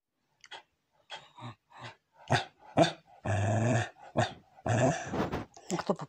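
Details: Pembroke Welsh Corgi begging for ice cream indoors in a small room: a run of short grumbling, growl-like yelps followed by longer harmonic moaning whines, the bursts coming irregularly over six seconds.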